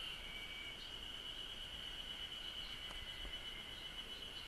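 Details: Cicadas in Japan give a steady, piercing high hum through the whole short stretch. A few faint clicks and a light low rumble are in the background.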